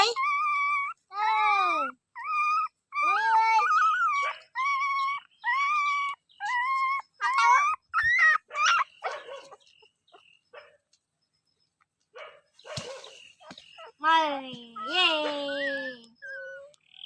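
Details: Dog whimpering steadily in high, tonal cries that rise then fall, about one each second, then a quiet gap before a burst of shorter yipping whines near the end.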